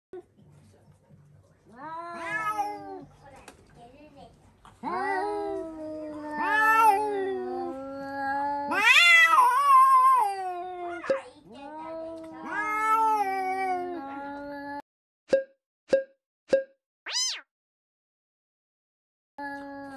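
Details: Several indoor cats screaming after spotting a cat outside: long, loud wailing yowls that swell, waver and slide in pitch, overlapping at times, followed by a few short sharp cries and a final abrupt call.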